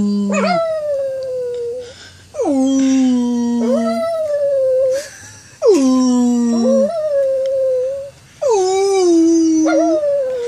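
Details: Singing dog delivering four drawn-out howls about every two and a half seconds, each dropping sharply in pitch then settling on a sustained mournful note, a higher overlapping voice rising and falling alongside.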